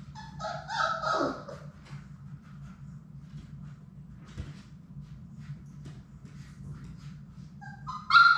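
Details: Playing Labrador Retriever puppies, six siblings from Sadie, in an indoor play room; a burst of squeaky yips and whimpers opens the recording, then quiet hum with faint thumps, and a sharp high yelp closes it.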